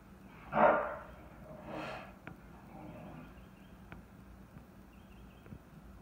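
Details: Chocolate tri merle English bulldog going crazy at a bucket that it and other dogs knocked over: one loud, rough bark, then a softer second bark a second later, followed by quiet with faint clicks.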